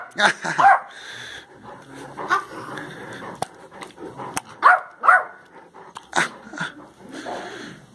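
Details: Great Dane Perry at play with Zeus, who teases him using a toy; short sharp barks in irregular bursts mixed with whiny yelps, about two per second at peaks, over background chatter.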